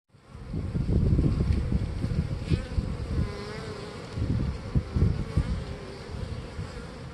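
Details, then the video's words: Honey bees busy at a beehive in early spring on a warm day, bringing in pollen: dense, low, continuous humming buzz with fluttering surges and a faint steady tone above, some wind-like rumble. "spring busy bees"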